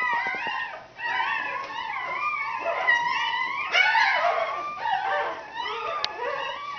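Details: Newborn red Standard Poodle puppies during birth, whining and squealing in high, wavering, rising and falling cries that overlap almost without pause; a woman's soft voice is heard nearby.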